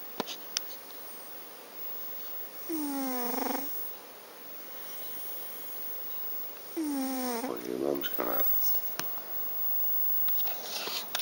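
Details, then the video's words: Sleeping cat named Garfield snoring, two long nasal breaths about four seconds apart, each sliding downward with a whistling edge, the second ending in a fluttering rattle, light room noise in between. "garfield snores"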